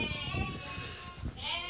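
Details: Merino sheep from Hungary, shown to a visiting buyer from Turkey: a quieter, drawn-out wavering bleat rises and falls over steady low rumble and scuffing, with a brighter bleat swelling near the end.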